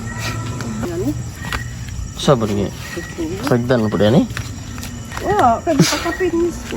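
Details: Bleating of farm goats: tremulous, quavering calls, one long wobbling bleat in the middle and a shorter one near the end, over steady background chatter and light rustling.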